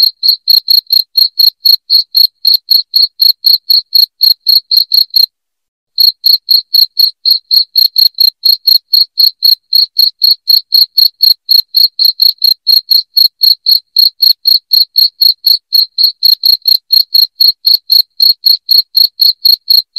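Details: Cricket chirping loudly, played to drive rats out of a house: sharp high chirps repeated about four per second in a steady pulse, with one brief pause near five seconds, nothing else heard.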